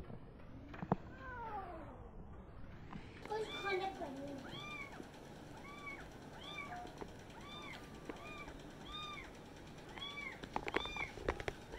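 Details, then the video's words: Several kittens meow at the same time, a steady run of short, arched, high mews repeating roughly every second after a noisy start with rumbling handling sounds and faint voices. "Kittens meowing (too muchcuteness) All talking at the same time!"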